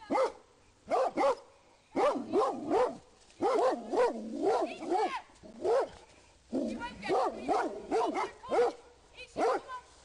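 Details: Alarm barking by Rhodesian Ridgebacks in a public park as they alert their owner to a man concealed among trees. Dense volleys of harsh barks repeat, some doubled or overlapping from more than one dog, with brief quiet gaps.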